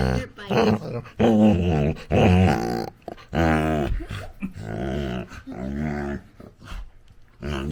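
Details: Indoors, a Labrador Retriever puppy at play with its owner gives strong, throaty grumbles and growly moans in short bursts about once a second, some rising into whiny tones, with a man's voice in between.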